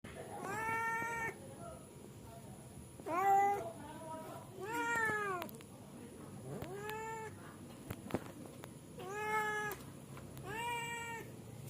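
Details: Cat going to sleep gives a series of six drawn-out, harmonic-rich meows, each about half a second to a second long, spaced roughly every one to two seconds, against a steady background hum.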